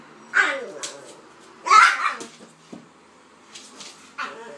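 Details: Playful pair of dogs, pitbull and King Charles spaniel Kaiser and Viki, letting out two loud whining barks about a second apart, followed by softer short yips.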